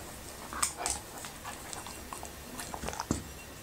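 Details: Eating okra and raw meat, the Labrador retriever Happy gives a few crisp bites and wet smacks, the strongest early on and again just after three seconds, close to the microphone indoors.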